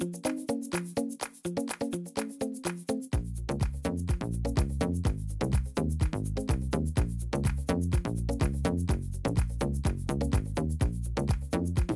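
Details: Electronic dance music with a sparse pulsing opening, then a heavy bass beat repeating about once a second, fills the whole passage without any animal voice.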